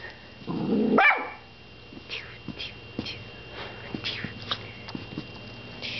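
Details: Domestic dog barks at its owner when the camera comes out, giving one strong, rough bark that sweeps upward early on, then only faint taps and small household noises for the remaining seconds.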